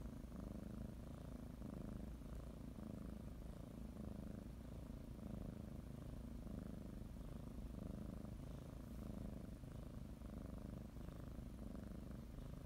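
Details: Kneading, blanket-biting pet cat preparing for her morning nap; sustained low purring with steady alternating inhale and exhale phases around once a second, close and uninterrupted.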